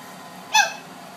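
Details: A 9-week-old blue Boston Terrier puppy, playing with an adult male Boston Terrier and barking for his attention, gives a single short, high squeaky yelp that drops slightly in pitch.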